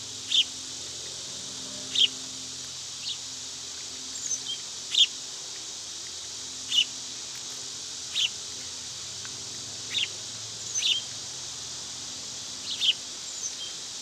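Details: Cicadas droning evenly and high-pitched through a summer day, accompanied by repeated brief bird chirps spaced a second or two apart, a few coming as quick doubles.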